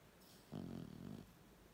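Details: A sleeping 18-week-old Staffordshire Bull Terrier puppy gives a single low, throaty, rumbling snore, a rough rattling breath that swells and fades over under a second, with quiet room tone around it.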